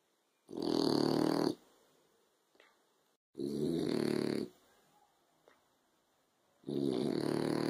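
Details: Sleeping French Bulldog on a sofa in the afternoon sun gives three long, buzzy, rattling snores roughly every three seconds, separated by near-silent gaps with a soft snuffle.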